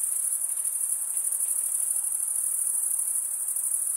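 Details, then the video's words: Crickets stridulating, wing rubbed against a toothed wing vein, in a steady high shimmering trill that stays level throughout, with a faint soft hiss beneath and no other animals or voices. "cricket sound"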